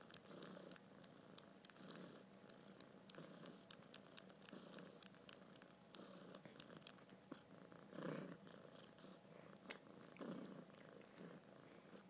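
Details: Held male kitten purring in a rhythmic rumble, each breath making a louder burst about every second or so, with light rustling noise in between.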